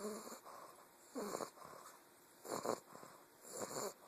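A young English bulldog snores in wheezy, rasping breaths, one roughly every second and a bit.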